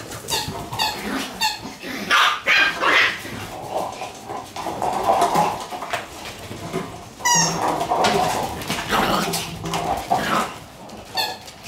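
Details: Black Shiba Inu puppy, born May 29, playing and running with a sibling on its last morning before leaving home; bright, high, ringing yips repeated in quick runs near the start, at seven seconds and at the end, with scuffling between.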